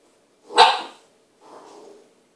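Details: Dogs being introduced in a kitchen, an Irish Setter meeting a new puppy: one sharp, loud bark, followed a moment later by a softer, breathy huff lasting about half a second.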